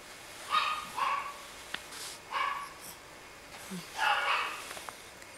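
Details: Moody Yorkshire Terrier giving four short, sharp, yappy barks in uneven bursts, with quiet gaps and faint clicks between them.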